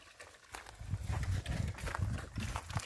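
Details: Wild boar being fed rice: low, rumbling grunts come in quick, uneven bursts after a brief quiet start, steady for about two seconds, with faint outdoor rustling behind them.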